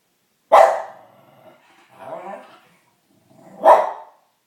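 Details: Domestic dog reacting to sounds of children playing outside, giving a loud sharp bark, a softer low growling bark in the middle, then another loud bark about three seconds after the first.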